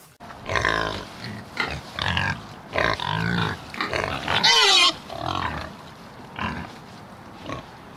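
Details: Pig (Sus domesticus), grunts and squeals.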